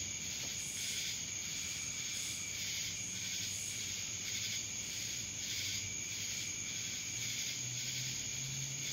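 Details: Cicadas sounding in Dallas, Georgia: a high, sizzling buzz that throbs in irregular swells, a continuous insect chorus with a soft low rumble beneath.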